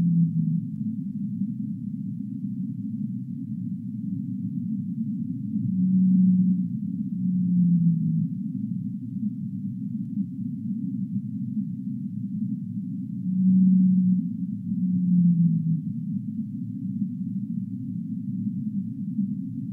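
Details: Low humpback whale song, with paired moans near six and fourteen seconds, each a steady hum followed by a falling, sighing tone, set against a continuous deep, muffled wash of underwater noise.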